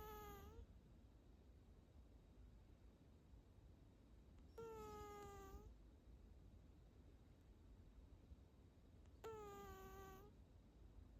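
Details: Tabby cat snoring softly, each breath giving a thin, whistling, slightly falling tone; three such whistles come about every four and a half seconds in a quiet room.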